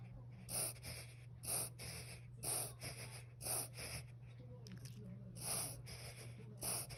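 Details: Ten-year-old toy poodle, recently diagnosed with cataracts, in a morning episode its owner suspects is a reverse sneeze or seizure: harsh snorting gasps repeating roughly every second over a steady low hum.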